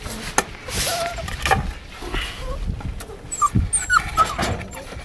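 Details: Presa Canario puppies, a month and a half old, make brief high whining squeaks and yips amid rustling and a person's voice.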